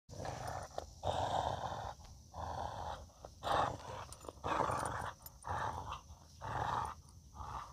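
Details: Male Australian Cattle Dog, a heeler, playing tug-of-war with a tennis ball before a game of catch. He gives rough, throaty growls in bursts about once per second, with short gaps between them.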